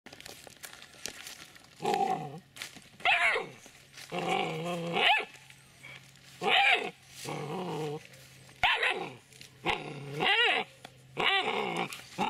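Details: Seven-week-three-day-old Dobermann puppy barking and growling indoors: about eight short, harsh, harmonic yaps and growl-barks, some rising then falling, in bursts separated by brief pauses over twelve seconds.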